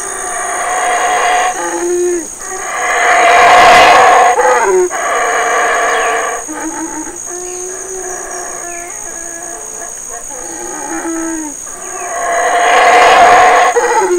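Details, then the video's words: Wild black howler monkeys in Belize's Community Baboon Sanctuary: a large male howls as his two sons and family feed on figs. Repeated rasping roars surge and fade in waves about every nine seconds, punctuated by grunts, over persistent insect buzz. "Black Howlers of Burrell Boom, Belize"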